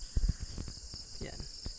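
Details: Crickets at a campsite in the Tanay, Rizal mountains, Philippines, at nightfall, a sound said to help the camper relax and sleep: a steady high continuous buzzing drone under low thumps and handling noise.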